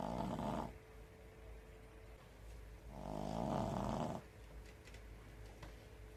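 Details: Pekingese snoring in deep sleep on its toilet while its feet twitch: a short rasping snore, then a longer drawn-out rattling one of over a second, with a soft steady hum in the background.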